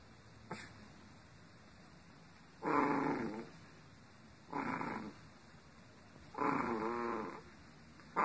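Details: Female Shih Tzu dog indoors giving three drawn-out, rough growls about two seconds apart, each lasting under a second, with a low hiss in the background.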